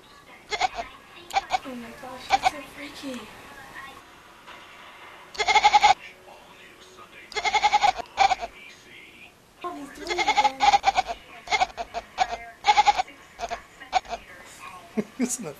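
A kitten calls in rough, quavering meows, each a short burst with a bleating, goat-like tremble. Human voices can be heard between the calls.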